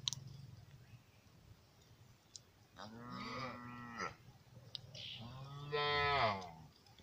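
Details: Lambs grazing outdoors give two drawn-out, wavering bleats, separated by a short pause, with faint clicks between.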